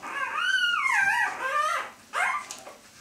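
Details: Feeding Siberian Husky puppies, four days old, from a litter born 3 April 2015 in Kharkiv, Ukraine: one long drawn-out nasal whine that climbs and sags over about two seconds, then a short sharp squeak.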